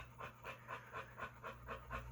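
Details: A male pit bull being dog-sat pants in the background. The rhythmic huffing breaths repeat about every quarter second, evenly spaced, over a low steady hum.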